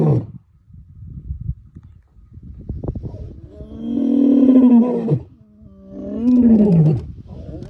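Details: Lion woken from sleep, roaring: low broken grunts at first, then two long, deep, groaning roars with strong harmonics, each slightly falling at the end, separated by a short pause.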